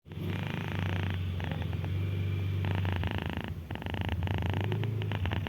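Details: Ginger female house cat with a slight cold, snoring while sleeping peacefully: a steady low rumbling drone with a breathing rhythm, swelling and easing through each breath cycle, with faint soft crackles above.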